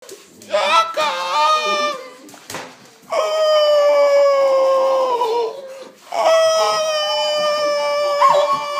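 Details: Shaka, a Doberman known for singing, howls in long sustained tones that hold steady then slide downward, three drawn-out phrases separated by short breaks, with a faint voice near the start.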